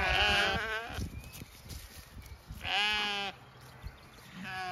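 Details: Young Zwartbles sheep greet a newly turned-out ewe in their small flock in County Kilkenny, Ireland. Loud quavering bleats open the recording, a second long bleat follows midway, and a shorter one starts near the end.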